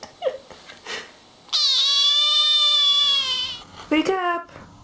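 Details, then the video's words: Kittens indoors with a person talking softly; one long, high, drawn-out meow lasting about two seconds, slightly falling, followed by a shorter cry and brief speech. "Little kittens meowing and talking"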